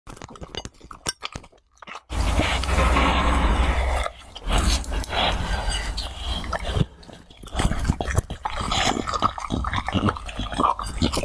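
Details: Pet pitbull in sunny California, USA, eating a fried egg: wet, crunchy chewing and smacking in rapid irregular bursts, with a loud, dense stretch of munching early on and short quiet gaps between mouthfuls.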